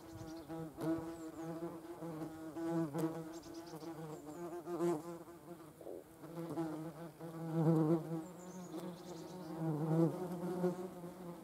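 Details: Yellow jacket wasps gathering protein for larval feeding, heard as a rich humming buzz that rises and falls repeatedly as insects hover and move close by, with occasional faint high chirps behind.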